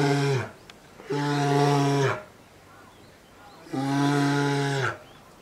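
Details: A captive two-year-old female polar bear at Maruyama Zoo in Sapporo, Japan, keeps crying to be nursed by her mother, January 2017. Three loud, drawn-out, nasal moaning calls, each roughly a second long and evenly pitched.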